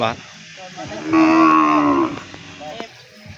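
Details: One of twelve newly arrived farm cows gives a single loud, deep moo lasting about a second, rich and steady, with quiet background and brief knocks afterward.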